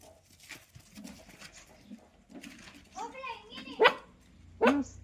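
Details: Black street puppy that sleeps on its keeper's legs and shows affection, indoors in a small room: brief harmonic whines around 3.2 seconds, then two sharp loud barks near 3.8 and 4.6 seconds, with a man talking softly throughout.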